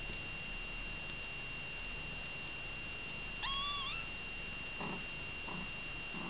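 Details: Kitten with its mother cat: one drawn-out, wavering high meow in a quiet room with a steady electrical whine, followed by a few soft low thumps.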